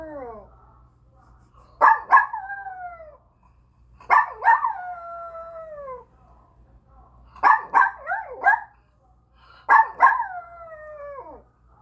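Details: Domestic dog giving a series of howls, each opening with two or three short yelping bursts that lead into a descending wavering wail, repeated about every two to three seconds in a quiet indoor setting.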